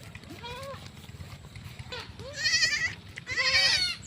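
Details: Pet goat being fetched by its owners, giving two wavering, quavering bleats in the second half, each with a trembling pitch; faint human voices and background noise earlier.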